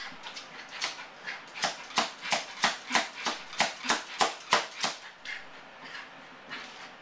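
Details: Motley, a Yorkshire Terrier left alone at home, calls out in separation anxiety, which he does every time his owners leave; a fast run of sharp, yippy whines, about three per second, peaking midway and then tapering off, indoors.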